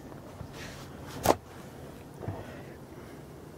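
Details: Quiet outdoor background hiss broken by a sharp knock and a softer thud, like handling equipment or footsteps.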